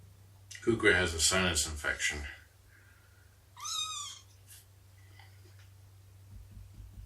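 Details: Domestic cat indoors during nursing and play with kittens: human speech first, then one loud arched meow with strong harmonics, followed by faint clicks and room hum.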